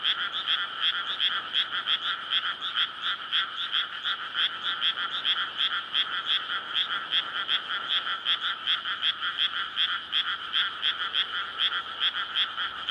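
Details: Night chorus of frogs in a May paddy flooded for rice planting, gathered to court and lay eggs; loud, dense, evenly pulsing croaks, nearly three per second, with a low hum underneath late on.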